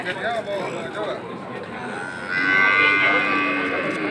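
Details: At Beringkit cattle market, Mengwi, Bali, Bali cattle give a sustained, rich harmonic moo midway through, over steady market hubbub and voices.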